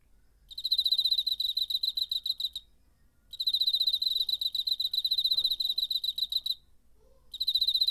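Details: Wing-made song of a cricket, September 2019, DR-05 recording: long high rattling trills of two to three seconds, stopping briefly between each of three bursts.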